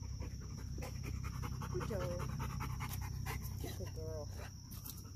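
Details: Fast, regular breathy panting, about four breaths a second, from dogs: a young pup eager to make friends with a dog guarding its post. A human voice and a steady low rumble run underneath.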